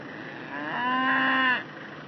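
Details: Newton, a Scottish Highland bull, lows while hay is spread: a single drawn-out moo of about one second, rising slightly then held, with rich harmonics over a faint steady background hum.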